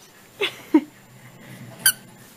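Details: Chihuahua indoors in a small room giving two short, high squeaky yelps about a third of a second apart, then after a pause a single sharper, thin squeak; quiet room hum between.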